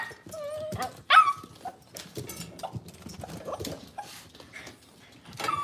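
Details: Cavalier King Charles Spaniels in a kitchen with puppies on a cloudy morning: thin whimpering whines, one sudden loud yelp, then quieter whining and scuffling.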